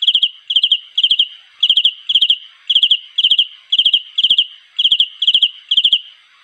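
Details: A cricket calling for a mate repeats short trilled chirps, each a tight burst of about four high pulses, roughly two per second at a fairly even pace, with a quiet background.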